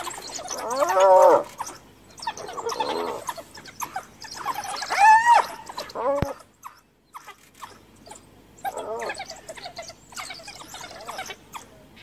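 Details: A cornered hyena calls for help while wild dogs harass her near her dead cub: a few wavering giggle-like calls, quieter and spaced several seconds apart, among faint squeaks and rustling.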